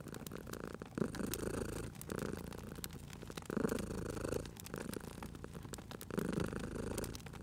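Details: Cat asleep by a fireplace, purring steadily; the rumble rises and eases roughly every two to three seconds with each breath, while the fire crackles and ticks in the background.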